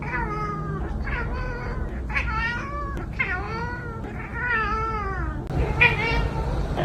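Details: Domestic cats meowing in a funny cat compilation: a run of drawn-out, wavering meows, some rising then falling in pitch, following one another almost without pause, with a faint background hum.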